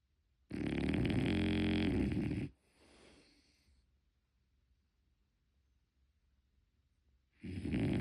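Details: Unedited snoring of a sleeping French Bulldog puppy named Mocchi: a long, loud, rattling snore of about two seconds, a softer wheezy exhale, a quiet pause of several seconds, then the next loud snore begins.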